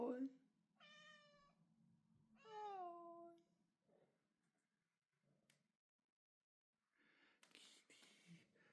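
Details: Kitty, a female Bengal cat, on her second birthday, gives two drawn-out, harmonic meows in quick succession, the second falling slightly in pitch, while people greet her indoors.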